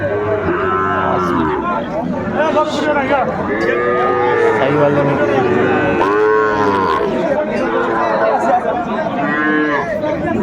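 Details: Sahiwal bull calves at Ambari cattle market, Faridpur, Bangladesh, on 29 April 2024, around four to five months old. Several drawn-out, arching moos rise and fall about every two to three seconds over steady crowd chatter and bargaining voices.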